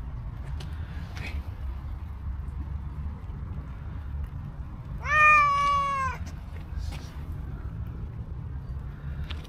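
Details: Friendly stray cat with cow-like coat coming to a person, producing one loud, rich meow that rises then levels and fades, after several seconds of quiet low street rumble.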